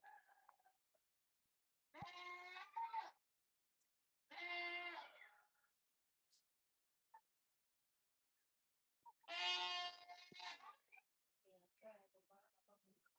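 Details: Village goat left behind alone after its herd of nine was taken away, bleating three times, each a drawn-out harmonic cry roughly every four to five seconds, with faint voices and low background sounds between calls.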